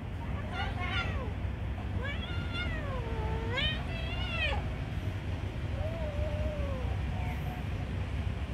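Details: Kitten being given food produces drawn-out wavering meows, several with rising-then-falling pitch, one long bent cry, and a softer trailing mew, over steady low rumble with possible voices.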